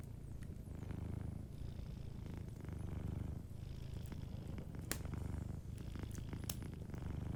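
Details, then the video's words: Soft, close purring from a sleeping cat, a dense low buzz swelling and easing in breath-length cycles, with faint fireplace pops near the end. "Warm Fireplace Ambience with a Sleeping Cat 🐱💤Fireplace & Soft Purring"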